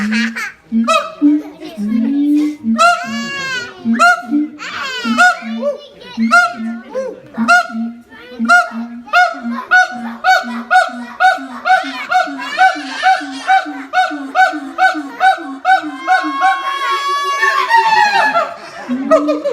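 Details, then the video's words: Siamang parents sing a high and low harmony while their young stays silent, clinging to its mother. The song is said to carry up to 4 km. Rapid, loud, honking and whooping notes repeat in quick pulses, rising into shrill, climbing wails near the end. "フクロテナガザルの鳴き声 siamang harmony ハーモニー"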